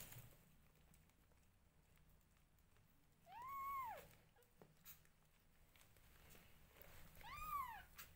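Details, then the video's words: Newborn domestic kittens meowing while their mother grooms them: two arched, high-pitched cries about four seconds apart, each rising then falling, with quiet background rustling between. "Newborn Adorably Cute Kittens Meowing Loudly When Their Mother Groom Them"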